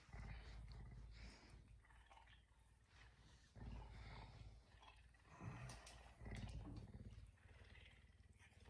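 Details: Captive pet puma kept indoors in a home, waking its owner at five in the morning; soft, rough low bursts repeated irregularly, louder around the middle and end, with faint household noise and a woman's voice nearby.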